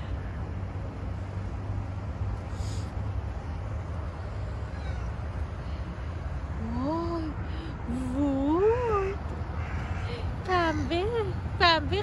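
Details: Stray cat on the street being petted, silent at first, then a run of wavering meows repeated about once a second in the second half, with a person speaking nearby and low background rumble.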